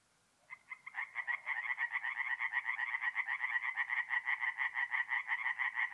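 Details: Tree frogs singing at night at a forest pond in mid-April, North-East Italy; after a brief silence, a rapid pulsed croaking chorus builds up and holds steady, with the beats coming about twice per second.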